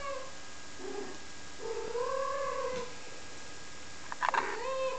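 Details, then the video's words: Five-week-old domestic kittens, recorded April 7th 2011, produce drawn-out arching meows, one long mew rising then falling, followed by a brief sharp squeak and another curving cry, over a faint steady hum. "Kittens at 5 weeks old"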